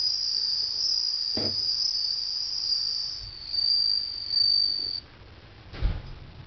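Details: Household bell cricket, a summer tradition, heard while a pet listens closely: a bright, ringing high trill that holds steady, dips briefly, then stops before the end, followed by a few soft knocks.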